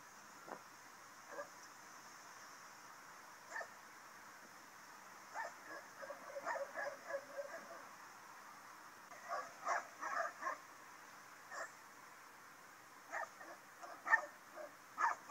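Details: Two Rottweilers, confined in a car on a parking lot in Rennes, France, one wearing a muzzle and the other's snout bound with heavy tape, bark as people come near: scattered short strangled barks, denser and louder toward the end, over low hum.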